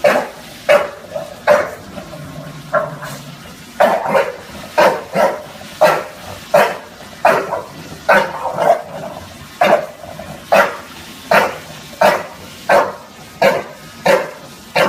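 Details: Bulldog Junior confronting a Roomba vacuum in New York City, barking steadily: around twenty short, punchy barks, most roughly three-quarters of a second apart, with a brief low droning hum from the machine early on.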